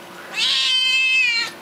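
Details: Single long wailing meow from a young male seal point Siamese cat, probably upset, starting harsh and rough, then smoothing into a steady tone that falls slightly before cutting off, indoors with little background noise.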